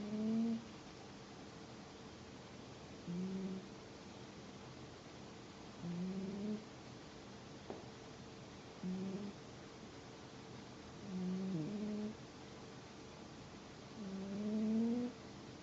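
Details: Sleeping domestic cat snoring: soft, nasal, slightly rising tones on each breath, repeating roughly every three seconds, quiet over a steady background hiss.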